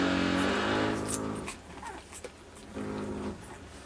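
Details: Puppies on day 23 at dinner time whimper in short, tonal, rising-and-falling whines, one at the start and another near the end, over a background of soft clatter and shuffling indoors.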